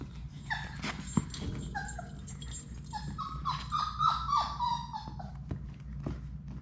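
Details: Labrador Retriever puppies from Sadie's litter of six play in their puppy room; short high whimpers and yelps come in uneven bursts, some sliding downward, over a steady low room hum.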